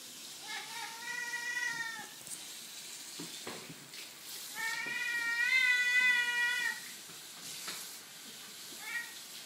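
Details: A Siamese cat chattering at a toy gives long, wavering, drawn-out vocalizations with a nasal, meow-like tone.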